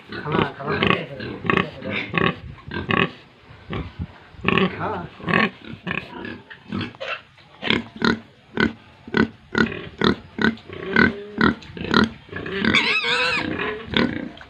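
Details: Farm pigs and piglets in Tripura, housed together: a dense run of rapid grunts and oinks, many animals calling over one another, with a higher squealing piglet call near the end.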